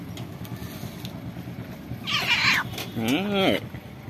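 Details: Orange cat living at a pagoda, approaching a visitor and wanting to be touched, gives two meows: a bright, strained cry, then a lower, arched, rising-and-falling mew about a second later, with a person talking softly and a low background rumble.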